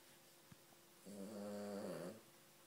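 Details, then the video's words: A single long, buzzy snore from a small female Cavalier King Charles Spaniel, lasting about a second, low and rattling with a slight fall at the end, against quiet room background. "King Charles Cavalier snoring"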